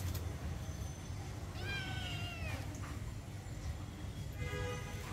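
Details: Domestic kittens playing and play-fighting outdoors in a garden; one drawn-out harmonic meow slides slightly downward near the middle, with a fainter short mew near the end over steady low background rumble.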